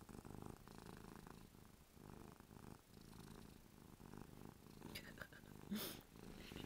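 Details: Ruby, a pet cat, purring indoors while happy and drooling. A low, rumbling purr pulses in rhythmic breaths with short pauses between. Brief sharper noises near the end.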